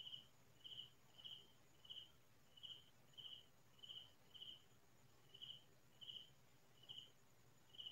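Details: Cricket chirping at midnight in quiet farm fields: a steady series of short, high, pulsed chirps, about twelve in eight seconds, evenly spaced over a soft low hum, with no other animals heard.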